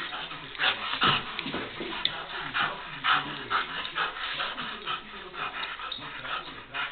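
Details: A bored female German shepherd wanting to play after a rainy day makes restless whimpers and short yips in irregular bursts of about two per second, with soft rustling and faint voices in between.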